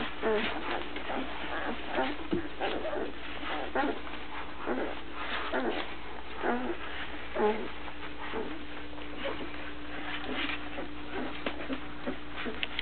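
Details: A litter of chocolate Labrador Retriever puppies born to Gypsy on April 14th 2009, filmed that April. Squeaky yips and brief whimpers come in irregular bursts, roughly one per second, several pups calling at once over a constant low hum.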